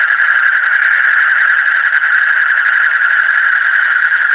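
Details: Frogs in the deep night, a thick, even wall of quick rattling trills holding one middle pitch throughout, with faint high tones above.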